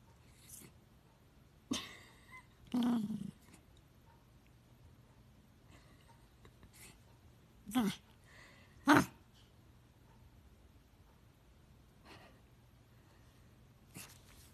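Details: Schipperke dog growling indoors, giving short low grumbles around 2, 3, 8 and 9 seconds with quiet pauses between them and a faint room hum.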